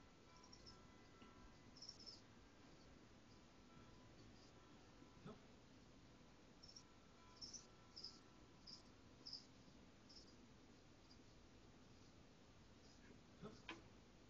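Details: Caged crickets chirping faintly in short high bursts, irregularly spaced and clustered in groups, over a steady low background hum.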